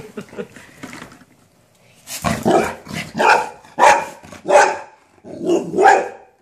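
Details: Indoors in a small room, a golden retriever barks at a minion toy it is seeing for the first time. Soft opening sounds lead into a run of five or six loud, evenly spaced barks roughly one second apart.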